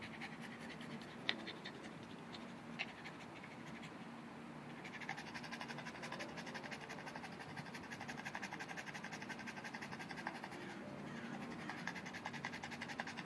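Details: Boston Terrier Mr. BabyPants panting to cool down after playing with his orange ball indoors; quiet at first with a couple of clicks, then from midway a fast, steady run of breathy, rasping pants continues to the end.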